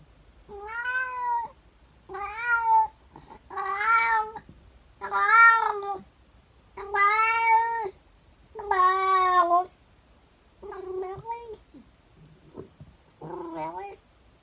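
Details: A female calico house cat yowls loudly indoors in the morning after food, singing at a plant. About nine long, drawn-out wavering howls come in 14 seconds, each lasting about a second, with short pauses between.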